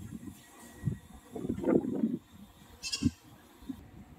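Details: Goat giving a wavering, quavering bleat lasting under a second, with shorter low grunt-like calls before and after it and a brief burst of hissing noise near the end.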